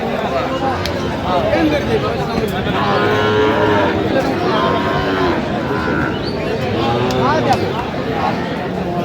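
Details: Sahiwal bull calf at a cattle market in Kurigram, Bangladesh, on 20 January: several drawn-out, tonal moos rising and falling, overlapping amid continuous crowd noise and men's bargaining voices.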